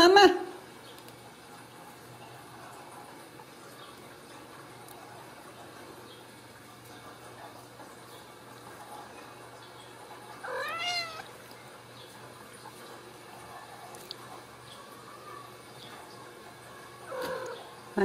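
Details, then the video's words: Ragdoll kittens raised in a home cattery without cages in central Kansas; a short harmonic mew rises and falls midway, with another brief cry near the end, over a quiet indoor room. "Steward Ragdoll Kittens"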